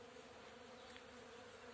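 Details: Bees give a steady, low, unbroken droning hum as they gather nectar over flowering acacia on a sunny early-summer day.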